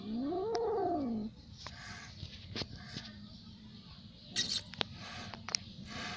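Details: An angry little cat gives one drawn-out, wavering yowl that rises then falls over about a second. Rustling and scattered clicks and knocks follow.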